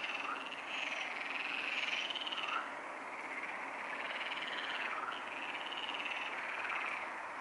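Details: Pond frogs at Neuer Teich calling together at 23:27 on 28 May 2017. Fast, raspy croaks overlap in a continuous chorus, loudest in the first two seconds and then steady.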